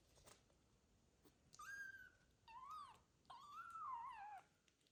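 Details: Sick male foster kitten arriving for the first time in a new home in a small village in Ukraine: three loud, drawn-out meows over about three seconds, the last long and wavering, with a quiet indoor background.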